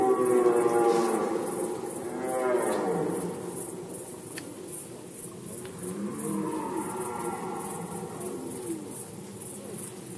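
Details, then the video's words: Red deer roaring during the rut season in Poland, 2020: deep, drawn-out harmonic bellows that swell and fall, one near the start and another midway, with a steady high pulsing insect chorus throughout. "Rykowisko jeleni, Rut season of Red Deer"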